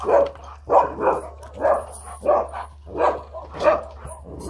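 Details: Dobermann giving a series of loud, full barks, one roughly every half to three-quarters of a second, with a constant low electrical hum underneath.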